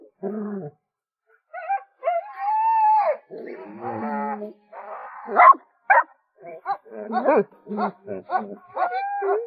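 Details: A pet dog that would not cooperate during play howls and yelps after succeeding: drawn-out harmonic wails that rise and fall, broken by short sharp yelps in the second half, with a human voice mixed in.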